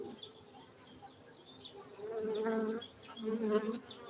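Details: Honey bees from a Gayo beekeeping site in Aceh, Indonesia. A quiet hum grows into two loud buzzing swells, one near the middle and one toward the end.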